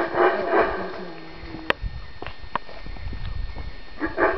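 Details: A Guatemalan black howler monkey (Alouatta pigra) roars in harsh, guttural bursts that start, fade, then swell again.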